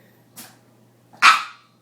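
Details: Boston Terrier, female, indoors, vocalizing to convince her owner she has not been fed dinner; one faint short yap followed by a single loud sharp bark, with a steady low hum in the background.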